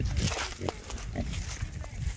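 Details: Small wild boars, three wild hogs caught together in a small trap: harsh, noisy grunts and squeals in short, rough bursts over a low rumble, with a man's voice briefly close by.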